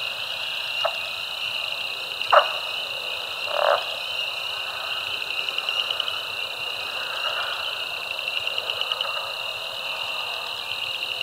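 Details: Eastern Texas frog chorus at Caddo Lake National Wildlife Refuge, recorded March 10, 2024; a constant high trill bed with several loud lower croaks and a rattling chuckle in the first four seconds, then faster pulsed calls.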